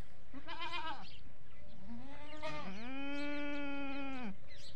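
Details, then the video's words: Farm goats bleating, a call linked to feeding: a short quavering bleat, then a rising one that runs into a long, steady, drawn-out blare lasting nearly two seconds. "Goat Amazing Sounds At Goat Farming | Bakre Ki Awaaz"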